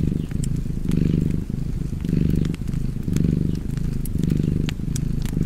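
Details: Soft, low cat purr in pulsing breath cycles, each swell lasting under a second before a brief dip, with light crackling of a fireplace in the background.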